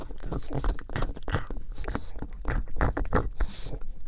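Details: Pug named Buddy enjoying bone marrow: a quick series of sharp bites and crunches, roughly two or three per second, with sticky licking sounds between them in a small quiet room.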